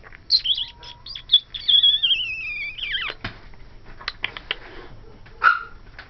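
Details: Ivory, a 12-week-old cream and white female Pomeranian puppy, indoors after noticing a Dora the Explorer doll in the closet; high thin whistling whines that slide downward, then a few short squeaky yips.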